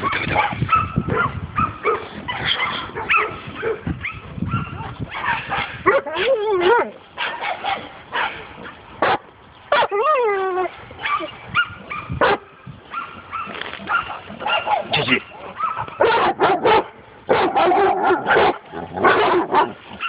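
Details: Dog on its first encounter with a wild boar, barking and yelping excitedly throughout, with harsh repeated barks mixed with whining, wavering yelps and human voices in the background.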